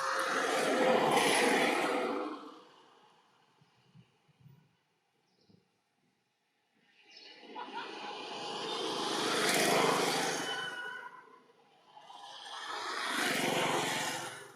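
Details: A baby monkey in the jungle screams loudly to call its mother, in long harsh wails with pauses between.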